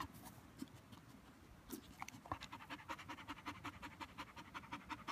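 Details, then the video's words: Border Collie worn out after playing fetch; breathing starts uneven with a few scattered gulps and shuffles, then settles into fast, rhythmic huffing pants, close to three per second. "Border collie McNab tired after fetch"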